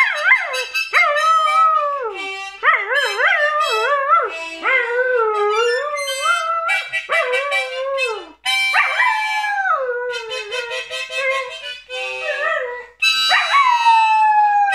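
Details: A 9-month-old Border Collie "sings", howling in long, wavering tones that rise and fall in pitch.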